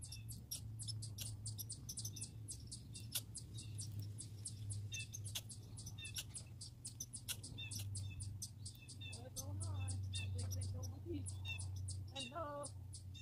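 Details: Squirrels, grey and red, make dense runs of high, sharp clicking chirps, with a brief human voice near the end and a low hum underneath.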